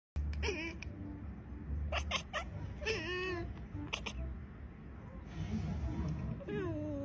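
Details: Domestic cat from an Indonesian TikTok short, several short harmonic meows spread through the clip, some rising and falling, over a steady low hum with faint background voices.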